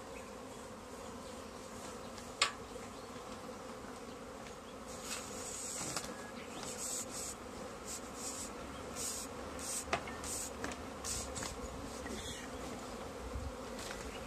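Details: Swarm of honey bees in a tree being captured into a bag: a steady deep hum of many bees beneath repeated rustling and crinkling of the bag, plus a few sharp knocks.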